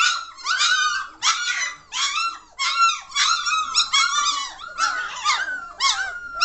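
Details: Noisy three-week-old German Shorthaired Pointer puppies from the 2014 litter out of Katelands Back in Black; repeated shrill, bent squeals and yelps in short bursts roughly every half second to second, overlapping voices.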